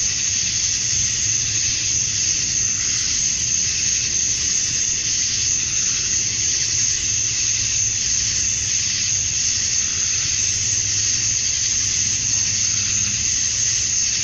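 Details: Cicadas at dusk on a summer evening in Georgia, USA, the males chirping to attract females; a steady, piercing high whine sustained for the whole stretch, barely varying in loudness.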